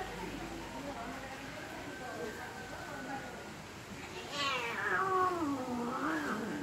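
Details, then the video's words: Angry cat fighting, low growling at first, then a loud wavering yowl that sweeps down from high to low and rises again into a drawn-out wail. "Angry Cat Fighting"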